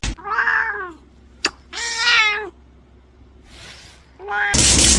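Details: Domestic cat described as acting scared, giving two loud arching, harmonic meows about a second apart, each rising then falling, followed by a burst of high noisy sound at the end.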